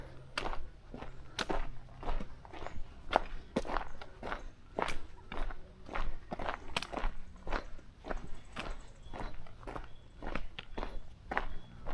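Crunching footsteps on a dry trail, roughly one step per second, with a low background hum and no animal voices.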